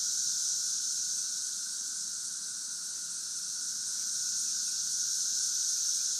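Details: Cicadas in St. Louis in 2011, a steady, high, hissing drone that swells and fades slightly, many insects calling at once with no other sounds.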